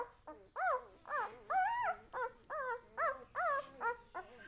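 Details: Puppy whimpering and yipping in a family home, with about nine whiny, rising-then-falling cries, each roughly half a second long, following one another at an uneven pace.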